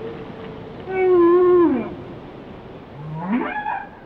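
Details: Whale song phrase: a steady mid-pitched moan that slides downward at its close, a short gap, then a rising whoop with rich overtones, over soft water hiss.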